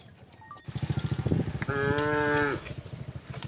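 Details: A single short moo from resident cows wandering on a road, lasting under a second, over a steady pulsing engine-like rumble.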